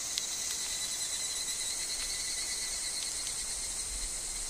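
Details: Higurashi in a forest where wind stirs falling leaves; a bright continuous shrill hum of layered tones, punctuated by a few soft clicks and ticks that may be leaves, steady loudness throughout.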